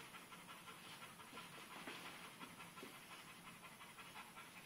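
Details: Dixie, a new pit bull puppy, plays with a sock indoors, breathing in quick, rough, breathy puffs that repeat rapidly and unevenly, nearly three per second, over a steady background hiss.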